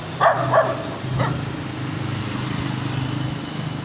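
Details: Small dog giving three short sharp barks in the first second and a quarter, the first two close together, then a steady low engine-like hum with no further barking.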